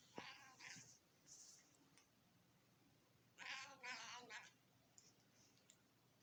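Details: A female cat being fed by her owner gives funny vocal noises: a short bright meow at the start, then a longer wavering, harmonic yowl after a pause, with faint clicks in between.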